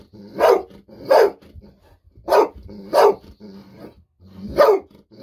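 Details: Golden Retriever at home barking with joy while waiting for fish-sausage treats; five loud, sharp barks at uneven intervals roughly a second apart, with low panting and rustling between them.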